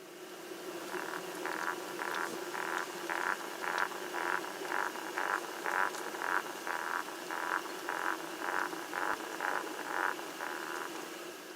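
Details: Painted frog song, from Corsica: soft, muffled notes repeated about twice a second, a very weak song sung from under the water's surface.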